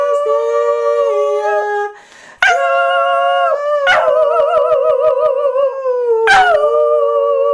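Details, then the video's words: Border Terrier named Badger howling along as a woman sings Angels We Have Heard on High; drawn-out harmonic tones sliding downward, a brief gap, then renewed howls with quavering vibrato and sharp restarts. "Badger the Border Terrier sings a Christmas Carol"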